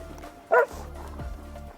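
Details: Australian Cattle Dog on the outside of a group of playing dogs, vocalizing and nipping to ask to join the play; one short, sharp bark midway, over a steady low hum and faint background music.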